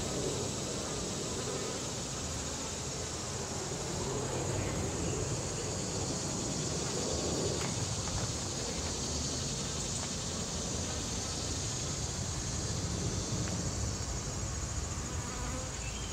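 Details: Paint-marked western honey bees feeding on sugar syrup at a bee-hunting feeder, before flying home to recruit nestmates, make a constant low, dense droning buzz; individual bees swell louder as they pass near, over a soft background hiss.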